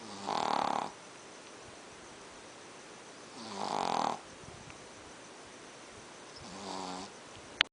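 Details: A male Pekingese, which snores every night and whose owner suspects his flat face is the cause, snores in three long, rasping breaths, each about a second long, with quiet pauses between.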